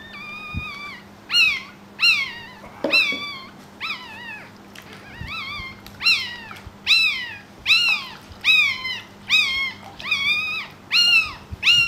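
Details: A newborn Pekingese puppy gives thin, high squealing cries, over and over, about once a second, while the mother strains to deliver a second puppy.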